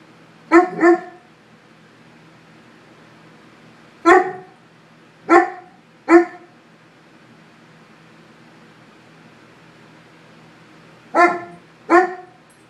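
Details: A Swiss mountain dog barking at its self portrait gives deep, sharp barks, mostly in pairs, with pauses between bursts.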